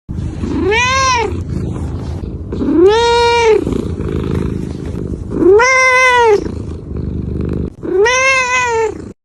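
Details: Domestic cat meowing: four loud, drawn-out meows, each arching up then down in pitch, spaced roughly two to three seconds apart over a low steady background hum.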